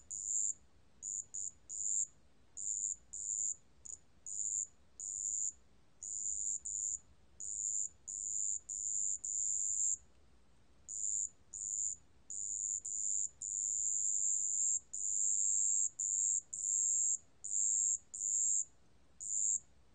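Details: Over twenty seconds a marsh bell cricket, recorded in 2020 by Korea's National Institute of Biological Resources, keeps up a steady high, thin ringing, broken into many short and long pulses at an uneven rhythm, with little other sound.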